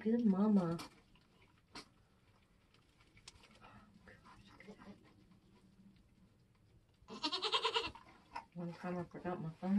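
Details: Nigerian goats on a homestead during kidding season, as kids are being born: a low, harmonic bleat opens, then a louder bleat rises and falls near the eighth second. Human voices fill the gaps.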